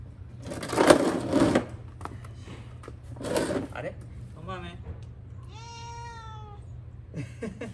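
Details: Pet cat indoors watching its owner wash the cats' litter boxes during year-end cleaning; scrubbing noises first, then a brief harmonic chirp followed by one clear, drawn-out meow lasting about a second at steady pitch.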